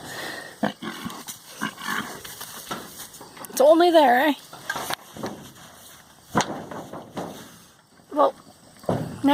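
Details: Pet pig named Spot, partly dried out after a mud bath, giving a wavering, whining squeal that bends up and down. A couple of brief higher squeaks follow, amid a person's speech and rustling.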